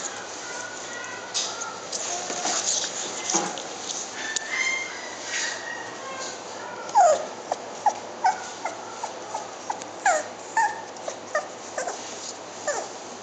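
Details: Shiba Inu making a run of short, thin whimpers roughly every half second in the second half, after a quieter stretch with faint background noise.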